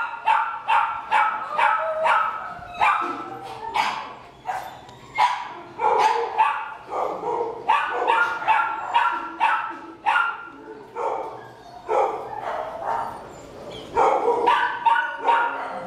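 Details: A 10-year-old male senior Labrador Retriever alone at a shelter in Baldwin Park, California, barks in quick, sharp bursts, several each second, with brief pauses between runs.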